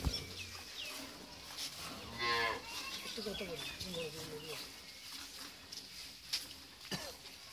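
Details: Friesian cow, recently calved for the second time with a heifer calf, gives a short low lowing moo amid a busy background of small chirping birds and voices, with a few sharp clicks near the end.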